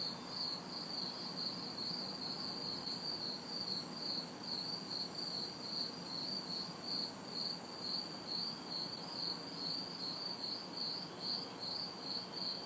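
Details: Backyard recording from a humid summer night in the city: crickets keep a fast, regular high chirping near two pulses per second, cicada buzzing rises and drops in stretches above, and light traffic noise lingers in the distance.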